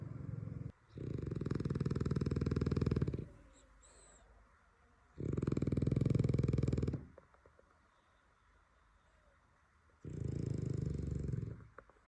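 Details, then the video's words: Sleeping French Bulldog producing three long, low, vibrating snores, each about two seconds of fast rattling pulses, separated by quieter breathing gaps of roughly two to three seconds. "french bulldog snores"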